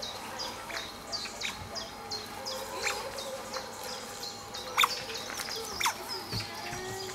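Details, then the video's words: Several Asian small-clawed otters play together with rocks on a peaceful afternoon, squealing with excitement: thin, high, falling chirps repeated roughly three times a second, with a few louder squeaks over a steady low background hiss. "Felices nutrias chillan de emoción mientras juegan"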